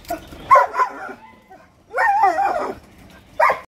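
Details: A Siberian Husky puppy giving wavering, vocal howl-like calls: a short burst, a longer warbling call near two seconds, then a brief yelp at the end.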